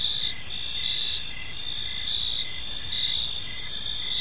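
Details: High, shimmering cricket chirps in an evening park, a steady layered chorus with short pulses recurring at an even pace.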